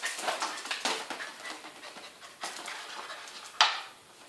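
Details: Welsh Corgi named Kim Bori, panting in quick breathy bursts through the clip, with a sharp click near the end.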